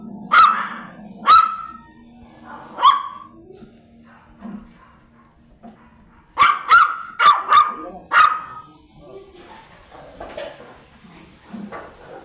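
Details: Sharp, high barks from a blue Miniature Pinscher kept for stud service at Manaoag, Pangasinan, with three single yaps, a pause, then a fast cluster of four, and faint voices behind.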